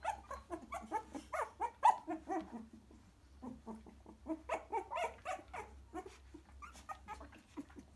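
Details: A litter of 3-week-old cockapoo puppies nestling in to their mother gives a dense run of squeaky whimpers and soft grunts, several pups at once, with a brief lull midway and a faint low hum beneath.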